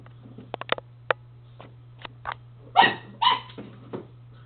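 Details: Pepe the dog plays with his ball indoors. Light clicks and taps from play, then a soft bark, followed by two sharp, harsh barks about half a second apart. A steady low electrical hum runs underneath.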